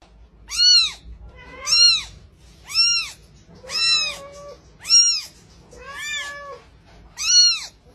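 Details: Fluffy, playful kitten giving seven high, arched meows, each about half a second long with rich overtones, spaced roughly a second apart against a quiet background.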